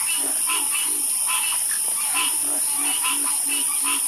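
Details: Croaking frogs pair a run of deep, even croaks, roughly two per second, with higher bright calls above them, all over a continuous high hiss.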